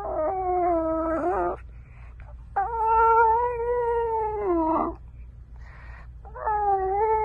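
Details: French bulldog puppies howling: long, tonal, wavering cries held for one to two seconds, three drawn-out howls separated by brief pauses, over a low steady hum.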